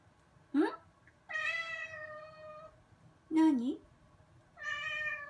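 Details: Bath-loving black-and-white rescued female cat answering its owner indoors while waiting on the bath lid: short chirpy meow, then long level meows with rich overtones, alternating with brief bent calls and quiet room hum.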